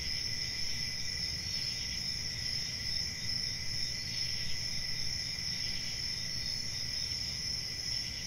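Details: A nocturnal cricket chorus forms a dense, even, high-pitched trill with little variation, backed by a low continuous rumble.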